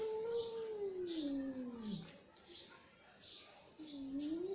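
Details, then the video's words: Angry domestic cat giving a long, drawn-out low yowl that slides steadily downward for about two seconds, then a second moaning wail that rises toward the end; faint high chirpy sounds in the background. "Angry Cat Sound"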